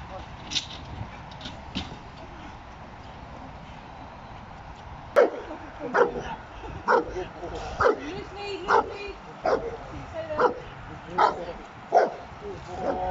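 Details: Giant Schnauzer competing in a 2020 AVD Bronze class trial. After about five seconds of quiet rustling it barks steadily, roughly once a second, with background murmur throughout.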